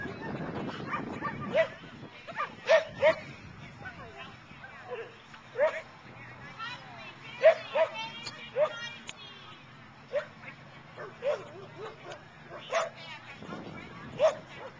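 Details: Dog at an outdoor agility trial at the Boone County Fairgrounds in Belvidere, June 2010, giving short sharp barks in irregular runs, often in pairs, amid people talking and crowd noise.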